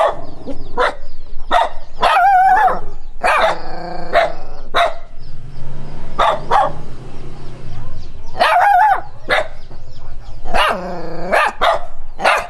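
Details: Dog barking at a stranger as it runs, loud harsh barks with some drawn-out, wavering yelping barks, coming in clusters with short gaps between, low rumble underneath.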